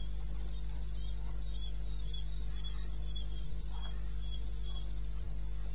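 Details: Crickets in the eastern Botswana wilderness after midnight in May give rhythmic high-pitched chirps, repeated about four times a second, with a softer second cricket alternating below and an unbroken low drone underneath.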